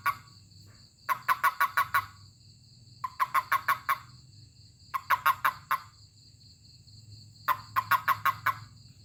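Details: A toad, touched by hand, gives short bursts of rapid, croaky pulses, about five at a time, every two seconds.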